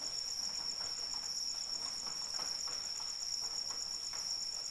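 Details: Continuous high-pitched cricket trill in the rain, evenly pulsed and unbroken, with light raindrop patter beneath it.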